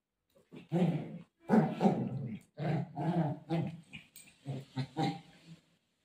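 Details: Golden retriever, desperate to search for its mom during play, letting out deep, rumbling, growl-like moans in several stretched bursts, each with a rough harmonic tone, fading into shorter grunts toward the end.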